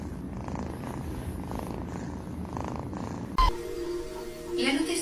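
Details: Cat purring: a steady, low, rhythmic rumble for about three seconds, then an abrupt cut to music, laughter and talking.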